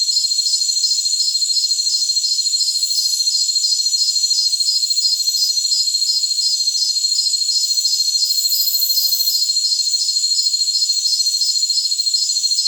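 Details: High jungle cricket chorus for tinnitus masking, with a rapid, regular train of short shrill pulses, roughly three each second, over continuous high-pitched ringing. Faint hissy flickers show up higher still.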